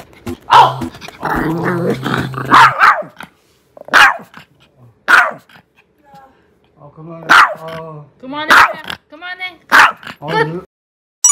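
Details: Pet dog at home reacting angrily while a man speaks: short harmonic growling barks and whiny vocal bursts in irregular clusters, mixed with people talking and background music.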